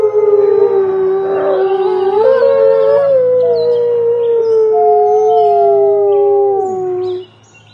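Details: A group of wolves howl together: long overlapping tones, one voice stepping upward, another sliding high then falling steeply, the chorus ending abruptly into near silence at the close.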